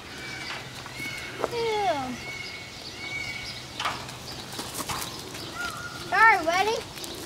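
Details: Deer eating peanuts from a woman's mouth, giving goat-like bleats: a falling, wavering cry near 1.5 s, then a louder pulsed, wobbling bleat near 6 s, over a steady background hum and a person speaking.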